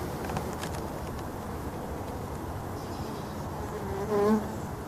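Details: Package of honey bees being installed into a hive, some bees fanning at the entrance to spread pheromones marking their new home; a steady low buzzing hum throughout, with a brief louder rustle near the end.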